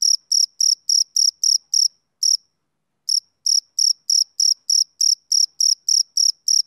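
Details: Male cricket calling on a summer evening: shrill pulsed chirps at a quick steady pace, breaking off for nearly a second of silence before resuming the same regular rhythm, with no other sounds.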